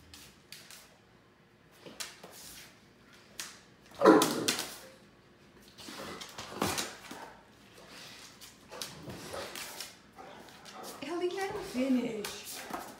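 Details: Ellie, a Great Dane, stomps her feet impatiently indoors to urge Mikey to finish his dinner so she can eat the rest. Irregular sharp thumps, with a loud knock near four seconds and a brief whining whimper near the end.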